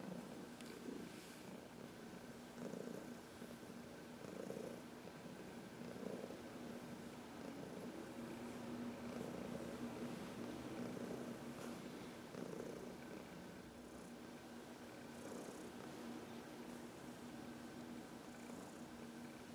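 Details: A senior female cat named Heidi, adopted from the Humane Society of New York City at age 12, purrs as she rubs on a person's knuckles; a long, soft, low rumble with rhythmic breathing swells and light background hiss.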